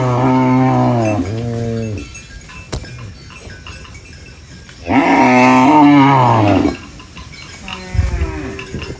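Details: Cows eating banana leaves on a rural farm give long, deep moos, each a drawn-out low bellow with a slight rise and fall.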